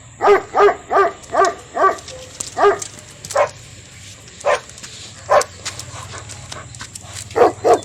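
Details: Dogs in a fight between a German Shepherd and Phu Quoc dogs, barking hard in a quick run of about six sharp barks, then spaced single barks every second or so, ending with two more loud barks.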